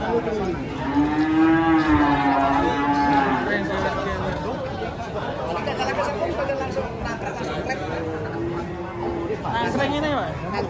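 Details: Cattle that slipped and broke a leg moo in a sustained, slightly wavering call lasting about three seconds. Shorter lows come later, with constant background talk and chatter from onlookers.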